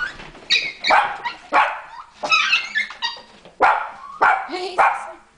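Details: Sezza, a pet dog, greets her owner with excitement: a run of sharp, bright barks and yips, about ten bursts in five seconds, each rising then dropping, with brief pauses between them.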